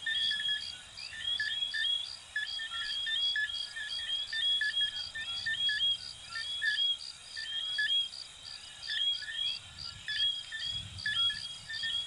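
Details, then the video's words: Coquí frogs from Venezuela and Puerto Rico calling in a dense chorus: overlapping short whistled notes that sweep upward, many voices at once, over a steady pulsing high insect trill and faint low rumble. "Sonidos de Ranitas de Venezuela 🇻🇪 y Puerto Rico 🇵🇷 "Coquí""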